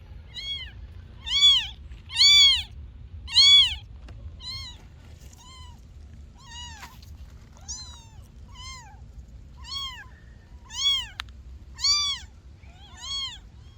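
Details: Kittens meowing: a run of about a dozen short, high, bent mews nearly once a second, the first few loudest, over faint low hum.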